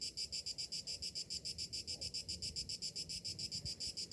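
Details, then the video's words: Cicadas on a summer morning: a high, pulsing buzz beating about three to four times a second, each pulse swelling and fading evenly, over a soft low rumble of distant background noise. "Morning summer cicadas sounds"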